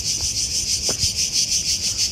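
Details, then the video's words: Cicadas heard everywhere, loud, at the Ancient Agora of Athens, Greece, in summer heat: a steady, shrill, high buzzing drone with slight regular pulsing, a few faint low knocks beneath. "On entend les cigales, il y en a partout, elles sont en boucan."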